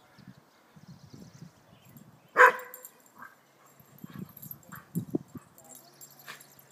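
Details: A westie playing with a friendly mixed-breed visitor gives a single sharp bark, followed by soft grumbling growls and short whines as the play continues.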